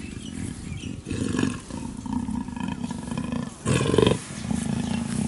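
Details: Female black leopard in heat, kept at Cheetah Experience, walking up and down and calling for a male; steady low sawing roar pulses with a louder, harsher burst toward the end.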